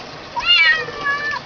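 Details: Female kitten held by the head while being bathed, complaining; one long high harmonic meow rising then falling, followed by a softer second meow, over faint room hiss.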